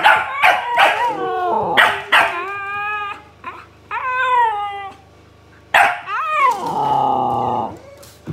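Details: A Siberian Husky answers a barking dog with yodelling, tonal talk: wavering, rising-then-falling harmonic moans mixed with short yips and barks, broken by brief pauses, and a final drawn-out whining note.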